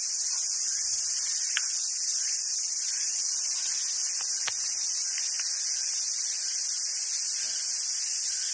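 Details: Cicadas in summer on Awaji Island in Hyogo, Japan, where wild macaques gather: an intense, continuous high-pitched whine, broken only by a few short clicks and faint squeaky notes underneath.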